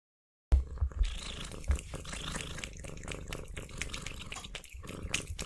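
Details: Pet cat eating sausage with sour cream, recorded close up for ASMR: steady wet chewing, smacking and licking with clicky bursts, after a brief silent start.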